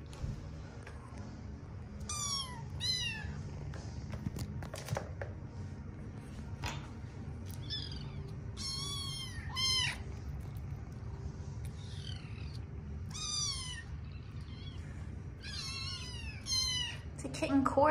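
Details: Several young kittens mewing together in a chorus: high, thin, downward-bending mews come in short bursts of one to three, about a dozen across the stretch, over a steady low hum.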